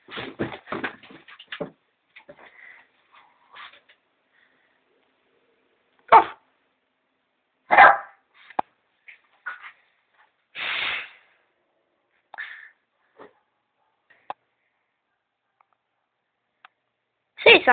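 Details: A Griffon dog gives short, sharp single barks spaced several seconds apart, with a person talking between them.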